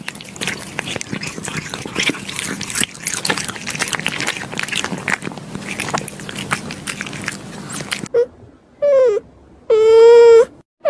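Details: Pet cat, described as adorable and lovely, in a daily-life recording. About eight seconds of rustling, biting-like crackle give way to three short, clear, tonal meows, the last one longer and steady, with quiet pauses between.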